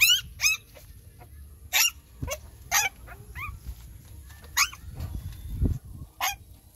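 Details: Nursing puppies give sharp, piercing yelps and squeals, spaced about a second apart. Low rustling and the thud of movement come from the litter, and a steady faint hum sits under the calls.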